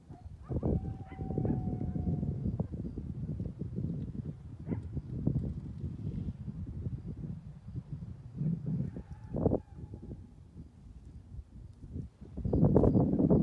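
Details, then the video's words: Coyotes communicating with each other from opposite sides of a canyon: a dense burst of rapid, overlapping yips and barks with short, thin howled notes, ending in a louder surge of yipping. "Coyote communication"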